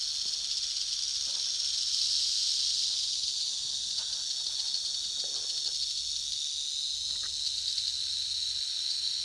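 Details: At a mega-den in Colorado holding hundreds of prairie rattlesnakes, defensive snakes produce a dense, unbroken high buzzing rattle from several animals, with faint clicks and scrapes underneath.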